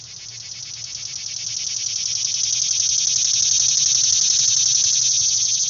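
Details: A morning cicada from Tennessee, usually heard in July or August, sings a loud, high, pulsing buzz that swells steadily in volume.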